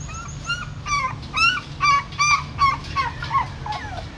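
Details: At a Siem Reap pagoda, a mother dog moves her newborn puppies from a stupa hole by mouth. Distinct high-pitched squealing yelps, several per second, each bending up then down, with a low background hum.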